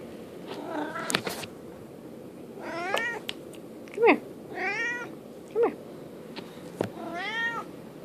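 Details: Merlin, a domestic cat pleading for treats, makes a string of short rising-and-falling meows, about five over eight seconds, mixed with clicks and sharp knocks in a room.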